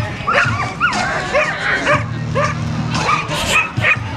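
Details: Male American Bully, an excited dock-diving competitor at a Dock Dogs event, gives sharp barks about every half second, each a brief bent tone. A steady low hum and crowd chatter run beneath.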